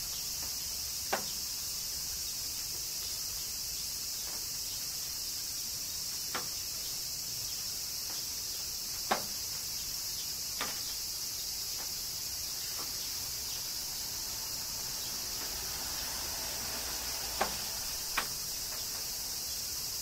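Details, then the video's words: Cicadas singing during summer rain in Kyoto, Japan: a dense, unbroken high-pitched shrill drone holds steady throughout, punctuated every few seconds by sharp, isolated raindrop taps and drips. "Cicadas Summer Rain - Zen Sounds of Kyoto, Japan"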